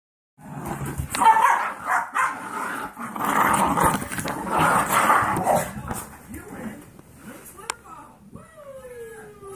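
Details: Golden Retriever mix foster puppies, 17 weeks old, wrestling together: busy rough growls, snarls and yips in rapid irregular bursts, ending with a few thin whining calls while a person talks.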